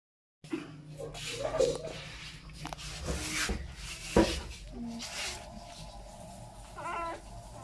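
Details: A newborn Labrador–Chow Chow mixed-breed puppy gives a few thin, high squeaks amid soft rustling and handling noise.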